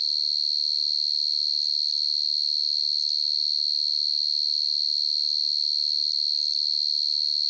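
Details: At night a field cricket (dế mèn, dế cơm) keeps up a shrill, steady, high-pitched trill of rapid regular pulses, uninterrupted from start to finish, nothing else audible.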